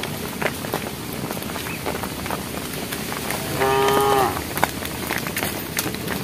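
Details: Walking cow herd on a project road in the evening, one animal calling to the herd with a brief, steady, mid-pitched moo lasting under a second, amid steady background noise and scattered clicks.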